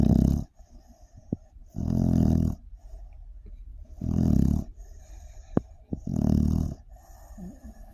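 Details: Sleeping pit bull snoring loudly indoors: deep rasping inhalations roughly every two seconds, four long rattling snores separated by quiet pauses with faint clicks.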